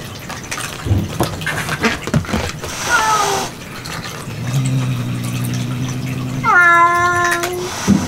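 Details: Domestic cat indoors in a kitten room where kitten food is set out; a low hum and scattered clicks give way to one drawn-out, harmonic-rich meow lasting about a second near the end, with a fainter falling cry earlier.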